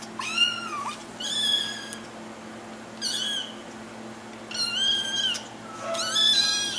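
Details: Little kittens meowing to get their owners' attention, five high, thin mews in quick succession, each a short arched or falling cry roughly a second apart, over a faint steady indoor hum.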